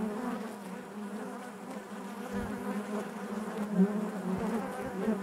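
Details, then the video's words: Steady low droning of honey bees inside the hive, an unbroken hum with faint higher overtones and only gentle changes in volume across the few seconds. "bees therapy hive natural buzzing sound"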